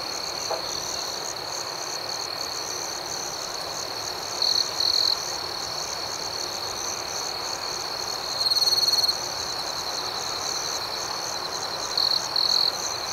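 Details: Crickets at night in an outdoor setting: a steady, high-pitched shimmering chorus of rapid pulsed chirps runs throughout, with louder close trills breaking out near 4, 8.5 and 12 seconds.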